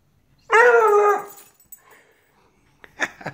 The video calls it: Redbone Coonhound puppy baying